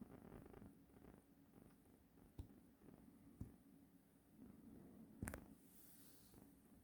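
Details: Russian Blue cat named Jamjami grooming itself after hopping onto a bed beside a resting person, indoors; a steady low rumbling purr runs throughout, broken by a few soft clicks and a sharp rustle near the five-second mark.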